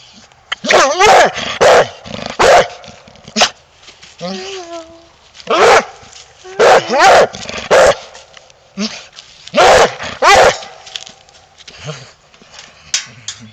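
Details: Coonhound barking and baying, wanting to go hunting: loud drawn-out bawling barks in bursts of two or three, spaced a couple of seconds apart, with short quieter whines between them.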